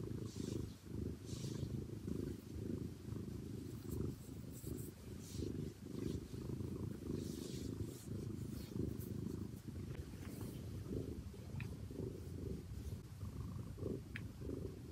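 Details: Domestic cat purring close to the microphone with no human voice, a continuous low rumbling throb that swells and eases with each breath, plus a few faint clicks and rustles.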